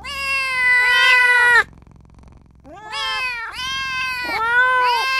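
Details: Little newborn kitten mewing for its mother and its owner: long, loud wailing meows with swooping, wavering pitch, one sustained cry followed by a pause and three more run almost together.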